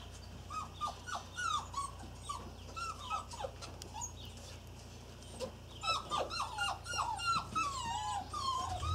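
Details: A litter of six Irish Terrier puppies, almost 8 weeks old, with an Easter egg nearby. They keep up dense, overlapping whines and yelps with falling and bending pitch, several each second. A brief lull comes midway, and a low hum runs underneath.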